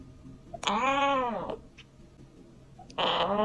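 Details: Kitten meowing, said to attract cats: two drawn-out arching meows about two seconds apart, the first rising and falling smoothly, the second starting loud and bright, over a faint steady low hum.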